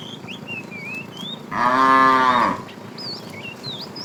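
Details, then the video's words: A tame cow wandering the road looking for food gives a single clear, full moo of about one second, framed by bright chirping and whistling birds before and after. "Funny cow sounds"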